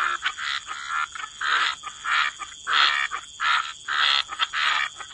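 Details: Chorus of frogs at a wetland edge. Raspy croaks come in bursts about every half second, alternating between nearer and fainter callers, with a constant thin high hiss underneath.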